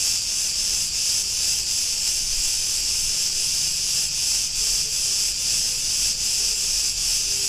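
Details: Cicadas of Crete buzzing in an Ierapetra street, Greece: an unbroken, shrill hiss throbbing in quick regular pulses, with almost no other sound.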